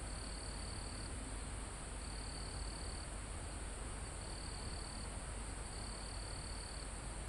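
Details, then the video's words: Mountain-forest crickets near the summit, live recording: high trilled bursts lasting about a second repeat at uneven intervals, layered on a constant thin insect whine and a broad hush of wind in the trees. "Calm Forest in Mountain With Crickets, Insects Sound"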